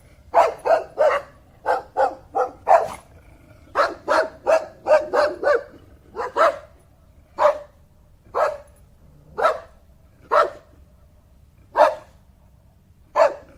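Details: Rapid volleys of sharp dog barks, several per second at first, then slowing to single barks spaced about a second apart, each bright and harsh with a steady faint hum underneath.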